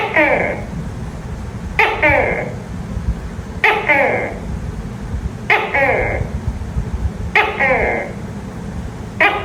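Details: Night calls of a tokay gecko, six throaty 'to-kay'-like notes repeating roughly every two seconds, each opening with a snap and trailing into a resonant, descending tone above a constant low background drone.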